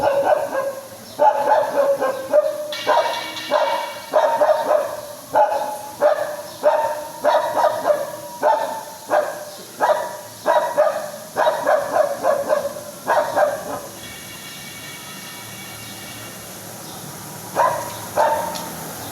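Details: Dog barking in a shrill, high-pitched tone: rapid runs of barks for about fourteen seconds, then a quiet gap with faint background hiss before two more barks.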